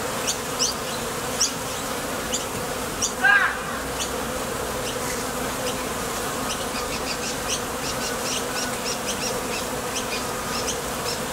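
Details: Honey bees landing and departing at the mouth of a Top Bar Hive make an even, low wing-buzz. Sparse high clicks are scattered through it, with a brief whistled note just after three seconds.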